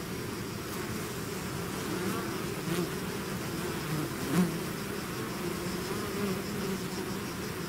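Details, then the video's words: Swarm of bees out of its hive, a dense continuous buzz with steady low hum bands and a few louder passing bees, level throughout, no other sounds. "bees therapy swarm natural buzzing sound"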